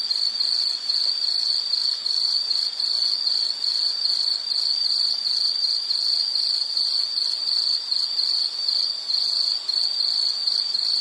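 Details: A high-pitched insect trill runs without a break, made of rapid even pulses that merge into a continuous shrill ring, over a faint steady hiss of night ambience.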